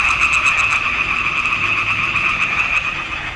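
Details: A short stretch of frog chorus from a swamp pond in June 2021, taken with a Nikon D780: steady, overlapping rattling croaks form a continuous buzzing drone.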